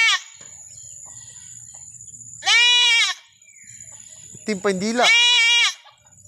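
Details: Goat in Mindanao, Philippines, giving three loud, strained bleats with rich harmonics: one long bleat near the middle, then a lower wavering bleat running straight into a higher one; a steady thin high whine fills the opening seconds.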